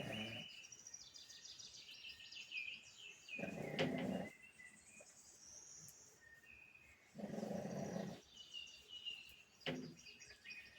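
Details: Sleeping pug snoring: rough, low, buzzy breaths of about a second each, spaced roughly four seconds apart, while birds chirp and twitter in the background.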